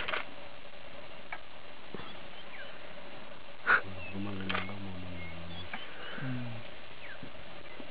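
A lioness gives deep, throaty moans to draw a reluctant male into mating.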